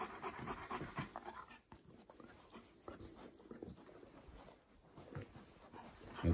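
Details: East European Shepherd puppy, a young male visiting a house indoors, panting in quick soft breaths while a woman speaks affectionately nearby; rough breathy noise with household background.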